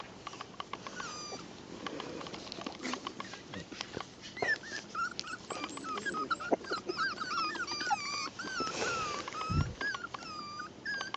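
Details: Miniature schnauzer puppies whimpering: thin, high whines with a wavering, bent pitch, repeated in quick runs through the second half, plus a few soft snuffles and knocks early on.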